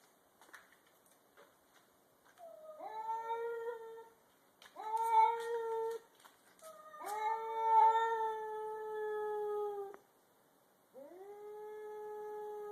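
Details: Two domestic cats, a grey and white stray and a black cat, squaring off in a garage before a fight: long drawn-out tonal yowls rising then holding steady, several overlapping, with short pauses between bouts.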